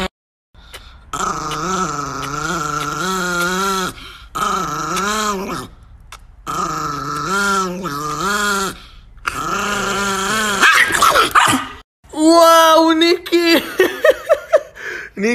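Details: An angry Chihuahua growls in a long series of rising-and-falling, wavering bursts separated by short pauses, ending in sharper, rougher snarling sounds, with a person talking nearby.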